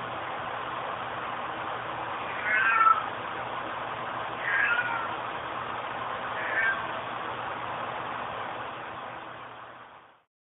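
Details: A female cat meowing, missing her owner; three drawn-out meows spaced about two seconds apart, each rising then falling, over a steady low hum with a muffled background.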